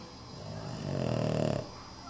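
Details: Boston terrier snoring while asleep, curled up in children's Halloween costumes; a single low, rumbling snore swells over about a second against a quiet room background.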